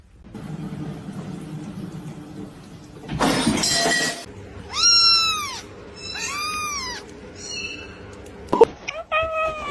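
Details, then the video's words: Kitten crying. After murmured talk and a rough burst of noise, three arching meows rise and fall in quick succession, followed by a sharp click and a shorter meow over a low indoor hum. "kitten meowing crying"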